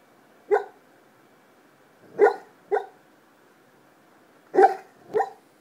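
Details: A sleeping black Labrador Retriever gives soft, muffled woofs in irregular bursts, each a short chesty puff, described as sleep diaphragm barking on a normal night.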